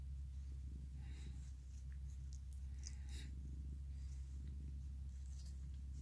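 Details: Mikan, a male orange tabby cat and former stray, purrs while hugging and licking; a steady, deep continuous rumble runs throughout, with faint soft clicks and rustles of licking and movement above it.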